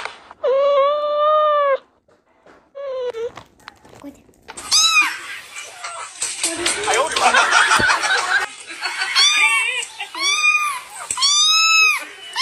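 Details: A cat at play: one long, steady, even meow, then a short one, a noisy stretch of mixed sound, and finally several short arched meows that rise and fall in close sequence.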